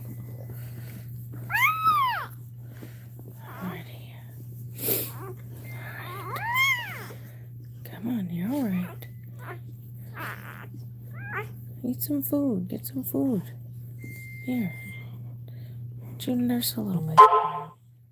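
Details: Cane Corso crying while another dog goes through labour in a small room: scattered arched whines, high at first and lower later, separated by pauses, with people talking quietly and a steady low hum behind.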